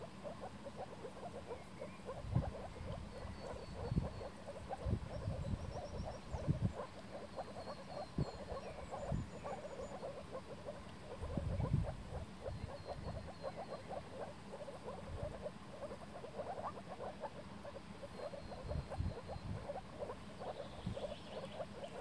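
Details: Spring mating chorus of moor frogs on flooded forest ground in Warmia: many soft, hollow, bubbling calls overlapping continuously, with faint high bird notes in the background.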